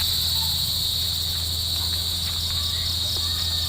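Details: Crickets on a farm at dusk as the sun sets over Mount Isarog: a steady, unbroken high-pitched trill holds throughout, over a low continuous hum.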